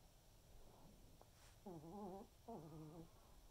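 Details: Senior Pomeranian named Waldo snoring during an afternoon snooze indoors: two low, droning, slightly wavering tonal snores, each about half a second long, come in quick succession after a soft faint breath, in an otherwise quiet room.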